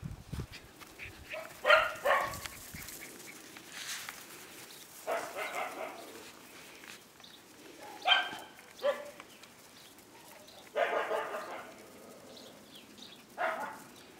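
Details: Five-week-old Siberian Husky puppies giving short bursts of high yips and whining cries, several bunched clusters spaced a few seconds apart, with quiet rustling between them.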